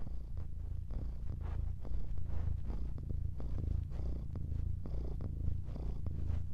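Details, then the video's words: A cat purring steadily, a deep low rumble that swells and eases with each breath, roughly twice per second, with faint soft clicks on top and no other sounds. "Chatouille ronronne"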